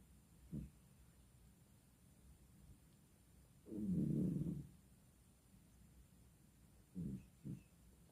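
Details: Sleeping village cat (kucing kampung) snoring: a brief low snort, then a long rough, throaty snore lasting about a second, followed by two quick short snorts near the end, with quiet pauses between and no other sounds.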